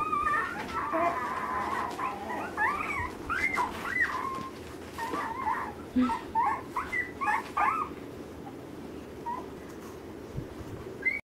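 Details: Litter of Alaskan Malamute puppies, ten days old, searching for their mother. A busy stream of short, high, squeaky whimpers and yips from several pups overlaps for about eight seconds, then fades to softer occasional squeaks.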